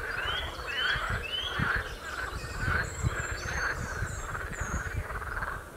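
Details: Frogs on the Royal Military Canal near West Hythe give loud, rattling croaks in bursts roughly every two-thirds of a second. Thin rising bird whistles sound overhead throughout.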